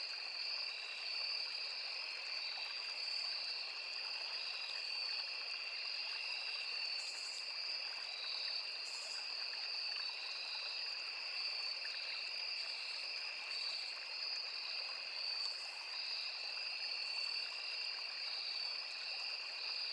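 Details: Crickets, cicadas and other insects in a forest near a small river keep up a constant shrill double-toned trill, with brief brighter buzzes flaring every couple of seconds and a quiet stream murmuring below.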